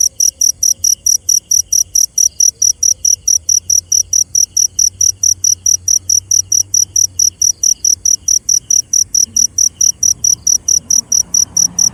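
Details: Cricket singing at night with a continuous sequence of high, piercing chirps, regular at about four per second across the whole stretch, a faint hiss rising slightly near the end.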